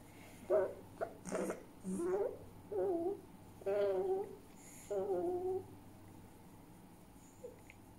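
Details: Pet fox Djinn, grumpy, giving angry calls indoors: six short harmonic whining calls in quick succession, each about half a second long, with brief gaps between them, then quiet room hum.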